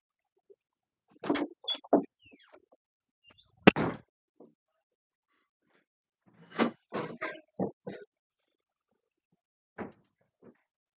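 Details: Three-week-old English Cocker Spaniel puppies eating food for the first time, giving short grunting and squealing bursts in two loose clusters, then a few scattered single squeaks, with quiet gaps between them.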